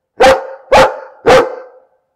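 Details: Three loud, harsh barks from a dog, evenly spaced about half a second apart, each a short burst with a trailing rasp. Background is silent.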